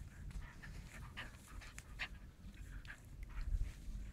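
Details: A 49-day-old German shepherd puppy wrestling with a sleeve, puffing out rapid breathy pants in short airy bursts over steady low rumble and a few thumps near the end.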